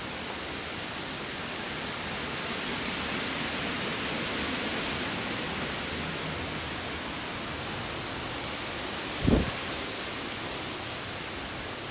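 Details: Even hiss of rushing noise with one brief thud near the end, and no animal calls.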